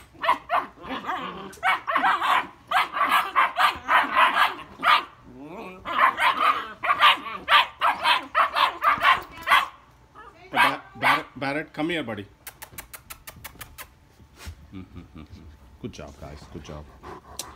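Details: German Shepherd puppies arguing, giving bursts of sharp, rapid barks about two a second, rising and falling in clusters, with human voices and background music mixed in.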